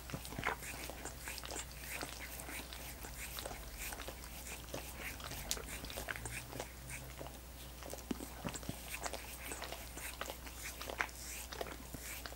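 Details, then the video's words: Wet, slurping tongue strokes from dogs working on coconut water popsicles, sounding as dense irregular clicks and smacks over a low steady hum in a small room. "Dogs Licking Coconut Water Popsicles"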